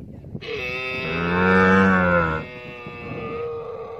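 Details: A camel gives a single drawn-out moan of about two seconds that swells in loudness and then fades, a steady harmonic groan over a faint background hum.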